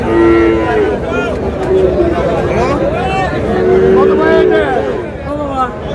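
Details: Friesian and cross-breed bull calves at the Raniganj market in Dinajpur, 30 July: several short, level moos overlap, one near the start and a longer one midway, amid dense crowd talk.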